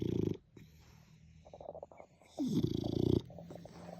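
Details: French Bulldog asleep, giving a short low rattling snore at the start, then soft snuffling breaths, then a louder, longer vibrating snore lasting nearly a second before fading back to quiet breathing.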